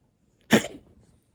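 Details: A single loud, rasping cough from a brown tabby cat suffering from asthma, recorded 27 February 2021; a brief broadband burst trails off into a faint wheeze in a quiet room.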